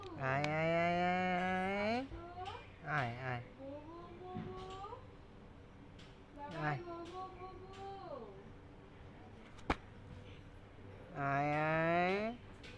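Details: Meowing cats and kittens: a long, loud rising-then-level meow opens, followed by shorter broken calls and softer quavering meows, then another sustained loud meow at the end, with a sharp click between.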